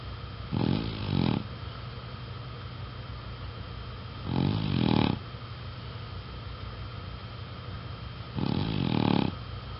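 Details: Ten-year-old black female Chow Chow napping indoors, giving deep resonant snores in three long rumbling breaths roughly every four seconds, with quiet steady hum between them.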